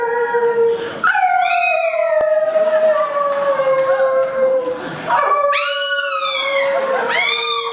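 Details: Muscha, a pet Chihuahua, howls while singing along with her owner: long, steady, slightly falling howl notes with rich overtones, renewed with sharp upward swoops around one and five seconds, plus brief yipping bends near the end.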